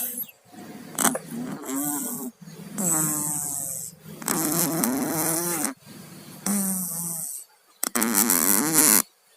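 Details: Sleeping house cats with colds, Tayen and Lilu, snore heavily: six wheezy, buzzing breaths over nine seconds, each rattling snore lasting one to one and a half seconds before a brief pause.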